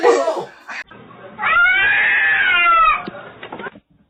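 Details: Domestic cat giving a single drawn-out, arching meow lasting about a second and a half, rising then falling, preceded by brief clattering noise and followed by faint rustling.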